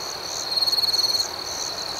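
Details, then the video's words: Nighttime cricket chirping outdoors: a dense high-pitched trill of quick pulses lasting under a second, over a constant shimmering insect drone. "Soothing Cricket Sounds"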